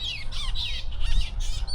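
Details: Hundreds of flying foxes, giant fruit bats, roosting in a tree in Tonga at night while looking for food: overlapping shrill, descending squawks and screeches in quick bursts, with low rumbling background noise.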